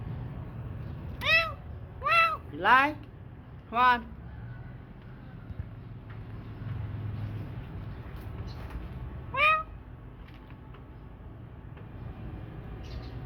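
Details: Rescued street kitten mewing: four bright, arched meows in the first four seconds, the third stretched and wavering, then a pause and one more meow near nine and a half seconds, over low room noise.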